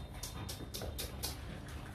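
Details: Panting from Rottweiler Gervi, a household dog living with two H'Mong bobtail puppies: sharp, hissy breaths repeated roughly every quarter second above a low background rumble.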